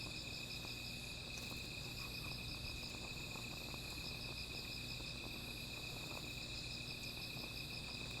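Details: Night insects sing by a small fire, one continuous high-pitched trill holding steady while a higher, beaded pulsing trill repeats in runs; faint pops and crackles of burning wood sit underneath.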